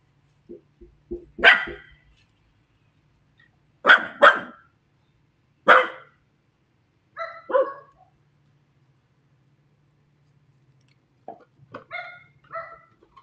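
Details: Two Scottish Terriers, Bentley and Willow, barking as if talking to the neighbourhood dogs: short sharp barks in clusters of two or three, separated by quiet gaps, with softer yips near the start and a low background hum.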